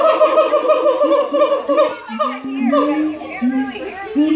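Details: Siamang at the Los Angeles Zoo mid-song, with overlapping harmonic calls followed by a long, slowly rising whoop and shorter sliding notes.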